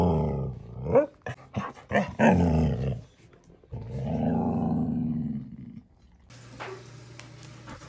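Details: Pet Husky stretching, giving drawn-out low grunting groans with a throaty growling texture, several short grunts then a long moaning groan around the fourth to sixth second, indoors in a small room.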